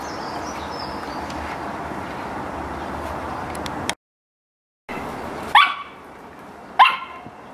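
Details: Samoyed at playtime, a stretch of rumbling background noise and a brief dropout before two short, sharp barks about a second apart.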